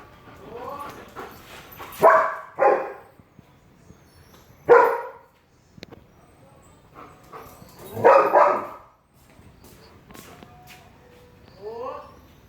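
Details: Belgian Malinois dog playing and barking during zoomies: scattered loud, harsh barks spaced a second or two apart, plus short rising yelping whines at the start and end.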